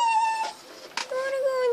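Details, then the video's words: Male puppy crying to go inside while being teased: long, steady, thin whine that drops lower partway through, with a brief human voice in the middle. "Cute puppy whining to go inside"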